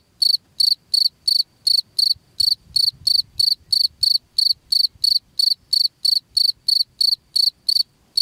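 A cricket chirps steadily, giving short, bright, high-pitched pulses about three times each second.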